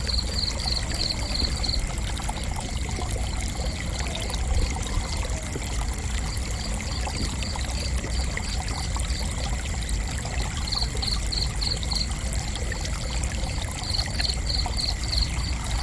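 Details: Gentle cricket chirping for sleep and relaxation, high pulsed trills in repeated bursts separated by short pauses, over a constant low rushing sound like flowing water and a faint steady tone.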